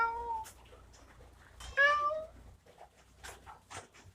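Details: Kitten giving two distinct meows, a short falling one at the start and a louder, drawn-out wavering meow near 2 s, followed by scattered clicks and light tapping noises in a quiet room.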